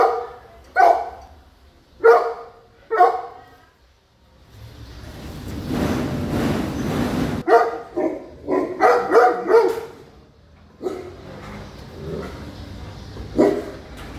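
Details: A big dog gives a run of barks, then a loud stretch of broad rushing noise, then a quicker cluster of barks and a few scattered later barks.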